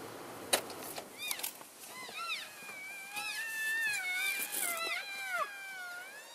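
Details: Several elk calling to keep in touch as the herd moves from one grazing area to another, February 3, 2012: overlapping arched chirps and squeals over a long wavering whine, a few clicks and knocks early on.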